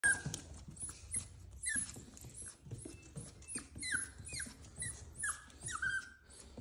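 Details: Cavalier King Charles Spaniel puppy, scared to go down the stairs, crying: repeated high whimpers that slide downward, each brief and falling in pitch, several per second with short gaps, indoors.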